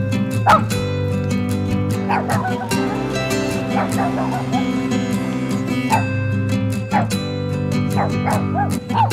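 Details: Two stray brother dogs suffering from a skin disease bark loudly from their hiding spot beside an expressway, reacting to car sounds; scattered abrupt barks recur over several seconds above continuous music.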